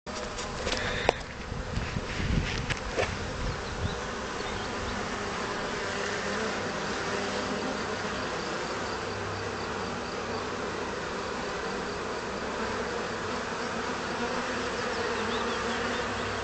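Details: Honey bees accidentally doused with honey and cleaning themselves in May 2010: a dense, continuous droning hum of many bees, with a few clicks and knocks in the first seconds.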